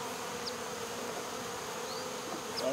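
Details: Honey bees swarming on a wall at a local baseball field while being removed, sugar water sprayed on them; an even, continuous buzzing drone with a few faint high chirps.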